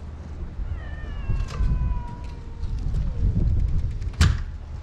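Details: Cats found while following a ginger tabby kitten outdoors; one long drawn-out meow slowly falling in pitch, then a shorter fainter one, over rustling, footsteps and a sharp knock.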